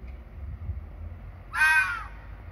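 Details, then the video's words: A single red fox scream at night, made in the breeding season to confirm territory between rival foxes; one short, rough, wailing squeal of about half a second after low rumbling background. "Fox Squealing in the dark"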